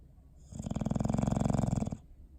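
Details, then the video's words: Bowser the dog snoring while asleep, December 21, 2019: a single rattling, low snore lasting about a second and a half, built from rapid fluttering pulses, with a faint breathy hiss on top, in a quiet room. "Sleepy Snoring Face"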